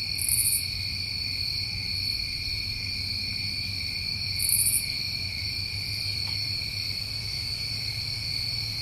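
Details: A constant shrill drone of crickets on a summertime New England night, with two brief harsh high buzzes standing out over the even chorus and a soft low noise floor.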